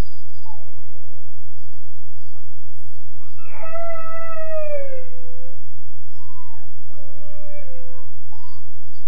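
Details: A 13.5-week-old Weimaraner pup howls in his kennel crate: short whimpers, then one long, strong, slowly falling wail around four seconds, followed by softer whining cries, with constant low hum behind.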